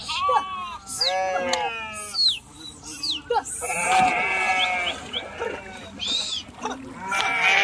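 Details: Flock of sheep crossing a river, some jumping in and swimming; many overlapping wavering bleats, mid-pitched and rising or falling, follow one another closely, with higher cries and splashing between them.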